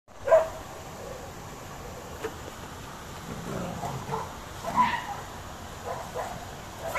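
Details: Dogs in Ooty under attack from a cheetah: one sharp bark opens, then scattered fainter, irregular barks and yelps follow over a steady background hiss.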